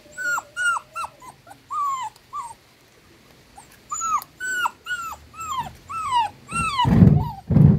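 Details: Dachshund puppies drinking milk from their miniature dachshund mother; the scared little puppy cries in sharp, downward-curving squeaks, a short pause, then another burst of rapid whines, ending with heavy low thumps of movement.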